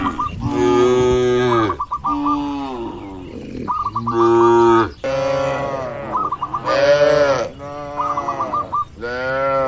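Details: Tame grazing cattle in a wide field on a village farm, giving long, loud, harmonic moos of one to two seconds, several in a row with short gaps, over a recurring high, looping musical figure.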